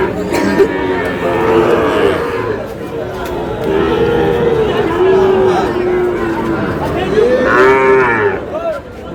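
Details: Sahiwal cattle at a cattle market, where a farmer from Cox's Bazar buys a Sahiwal bull calf on 14 August: long, low, wavering moos, several overlapping across nine seconds, over men loudly bargaining and shouting prices.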